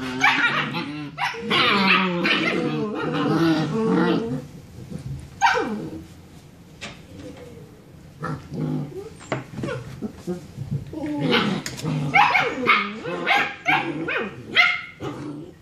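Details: Six-week-old German Shepherd puppies from a seven-pup litter play fighting in the evening; dense growls and yips open, a sharp falling yelp near five seconds, scattered clicks, then rapid choppy barks and squeals toward the end.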